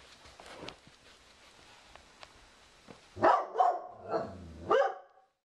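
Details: Pet Dobermann named Sugar Tree indoors in a living room, barking at a cow skull newly hung on the wall as if protecting her owner from it; after near silence, three loud harmonic barks, then a quieter growling tone between them.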